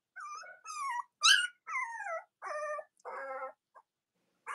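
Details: Cavalier King Charles Spaniel puppies, the litters of Robin and Myra, indoors on a chilly Monday morning near Halloween in the US; about seven high, wavering whines and squeals, some falling in pitch, come in short bursts separated by brief silences.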